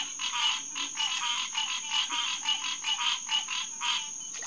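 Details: Hyla cinerea, the green tree frog, calling in a June night chorus at SMNWR's HQ Pond (June 2, 2021, 9:10 pm). Clipped honking notes follow in a quick, fairly steady run, several each second, beneath a constant high-pitched hum.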